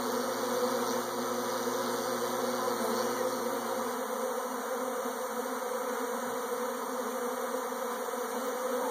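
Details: Swarming honey bees making a dense, steady buzzing hum that holds unbroken throughout, with a faint low drone in the first half.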